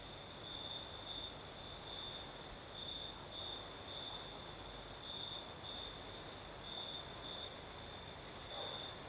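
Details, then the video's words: Crickets singing at night in the south of Crimea with a night breeze: a steady high trill in pulsed bursts of roughly half a second, repeating continuously over a broad hiss of wind and a fainter very high insect buzz. "Сверчки поют"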